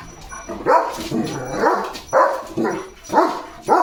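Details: German Shepherd named Leo barking at the start of rain; four loud, raspy barks spaced about half a second to a second apart, with soft whining between.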